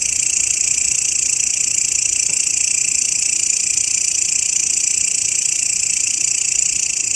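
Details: Continuous shrill grasshopper buzz, used as a teaching recording for songbirds, running unbroken at a constant level with a fast, regular pulse throughout and nothing else audible in the background.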